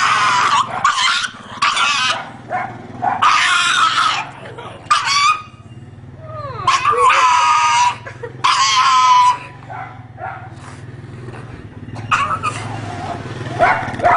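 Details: Dog crying with repeated short whimpers and longer whines, some sliding up and down in pitch, broken by brief quiet gaps and a low background rumble.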